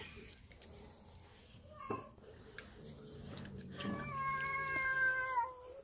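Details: Cat protesting for treats: a brief cry, then a long, steady, strongly harmonic wail holding its pitch for over a second before fading, with faint background music and room noise.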